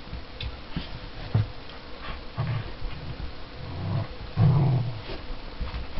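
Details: Luna, a Border Collie puppy, and Tia, a 7-year-old Border Collie Springer Spaniel cross, at play together; low rumbling growls come in short bursts, the strongest near the end, with soft scuffling between them.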